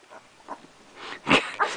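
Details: Young puppy, eyes almost open, giving a short sharp yip with a bright harmonic stack near the end, preceded by a few soft, faint squeaks over quiet handling noise.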